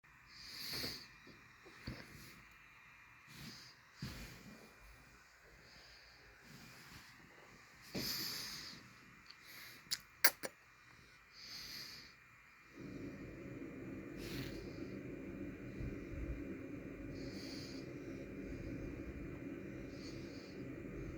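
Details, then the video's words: Harriet Volmar the dog snoring while asleep: irregular breathy snorts with hissing tops every couple of seconds, then from about thirteen seconds a steady low hum of background noise covers the quieter breaths. "Harriet Volmar the dog SNORING"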